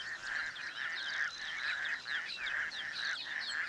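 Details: Many raucous toads call together in a breeding chorus in a small reedy dam outside Cape Town, their long, even trills merging into an unbroken ringing hum, with fainter, higher chirps and squeaks above.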